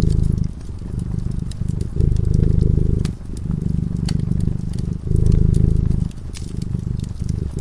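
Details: Sleeping cat by a cozy fireside giving a continuous low, buzzing purr that pulses between louder and quieter phases roughly every one to two seconds, while the fire snaps and crackles lightly.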